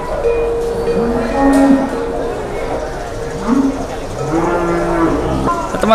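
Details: Cattle being led by a child through an Indonesian livestock market, lowing repeatedly: drawn-out, low, droning moos, several overlapping and rising slightly, with crowd murmur and people talking throughout.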